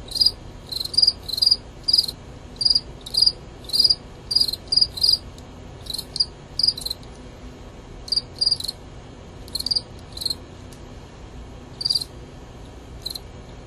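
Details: Two fighting male Gryllus pennsylvanicus crickets in a contest. Shrill pulsed chirps repeat steadily, roughly every half second at first, then spacing out into single chirps with longer gaps toward the end.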